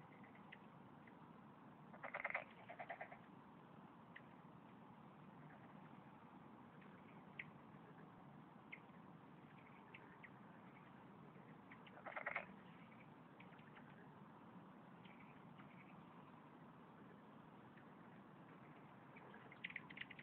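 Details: Korean golden frog, an endangered class II species found only in Korea, at Pureun Arboretum in Seoul, giving its short 'jjok' call; two brief bursts about ten seconds apart over a steady low hiss, among other frogs.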